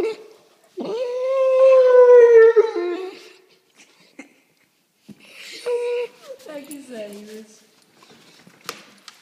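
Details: Pet dog vocalizing strangely indoors, producing a sustained tonal howl lasting over two seconds with a steady, slightly rising pitch, then shorter broken whines and grumbles after a pause; human speech faint in the background.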